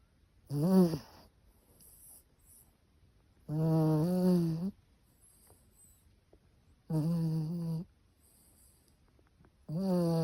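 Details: Sleeping Chihuahua snoring steadily, with four drawn-out, droning snores about every three seconds. Each is a rich, vibrating tone that wobbles slightly in pitch, with soft breathing between them.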